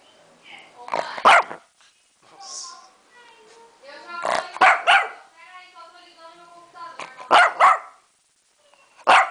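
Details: Lhasa Apso barking toward the camera, giving sharp barks in tight pairs about every three seconds, with a person speaking in the gaps between the bursts.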